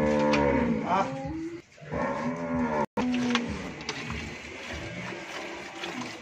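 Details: Friesian cow on a dairy farm in Bhangura, Pabna, Bangladesh, having calved once and giving 20–24 litres of milk. Two quick moos in the first three seconds, followed by noisy shed background.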